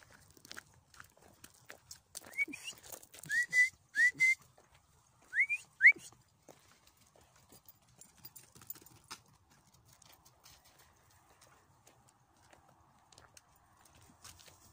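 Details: A 5-month-old Belgian Malinois gives a short series of high, rising whines.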